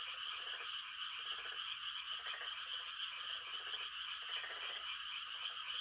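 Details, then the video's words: Chorus of frogs calling to mate on a quiet rural night during rice-planting season, a continuous shrill trilling wall overlaid by a nearer frog's lower rattling croaks, repeated roughly every three-quarters of a second. "The sound of frogs on a quiet country night"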